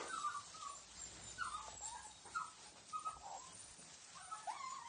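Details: Litter of Australian Cattle Dog puppies in Piedmont, Italy, making soft whines and short squeaky whimpers, wavering in pitch, several per second over faint background hiss.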